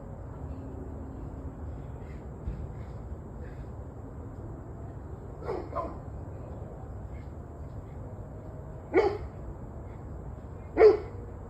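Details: Barking dogs at 7:06 pm on 21 November 2023: a few faint distant barks early on, then a soft pair, followed by two louder, sharper barks near the end, over background rumble.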